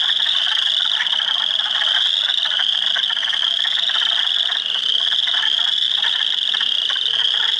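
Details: Spring frog chorus in an Ontario swamp at Heartland Forest, April 2, 2022, with Spring Peepers, Wood Frogs and Eastern Chorus Frogs; unbroken high piping peeps blend into a steady wall of sound above quick rattling croaks.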